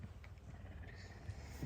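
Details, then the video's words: Messi, a hungry puma kept as a pet, purrs loudly in the morning while asking for food; a low, steady, throbbing rumble runs through the whole short stretch, with faint room noise above. "Громкое мурчание голодной пумы"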